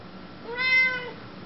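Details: Chatty female Siamese cat talking to her owner indoors: one clear drawn-out meow lasting about half a second, rising then falling, rich in overtones, with the owner's voice coaxing her to say hi just before and after.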